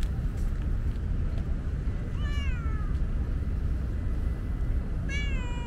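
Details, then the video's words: Tabby cat, a usually standoffish female, meowing outdoors on a hot day because she was thirsty and wanted a drink; two clear, drawn-out falling meows, one near the middle and one at the end, over steady low rumbling background noise. "Very talkative tabby is thirsty."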